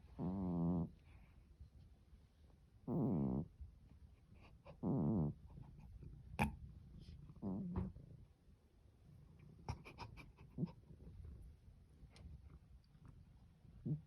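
A sleeping Norwegian Forest cat snores in low, buzzy rasps that come every two to three seconds.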